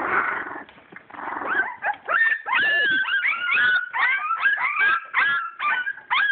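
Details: A litter of purebred English Springer Spaniel puppies born 22 July 2012, at play: after a soft rough rustle, steady bright whimpering begins, sliding whines overlapping in quick repeated cries, several pups calling together.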